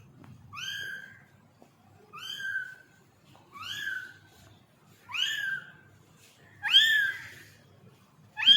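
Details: Newborn kitten crying in a quiet room, six high, thin calls that rise then fall, repeated about every one and a half seconds, growing louder toward the end.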